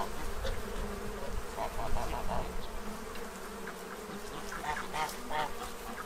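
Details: Honeybees feeding from a tray to prepare for winter in Central Illinois, a low steady droning buzz throughout, with repeated nasal honks and quacks of farm geese and ducks in the background.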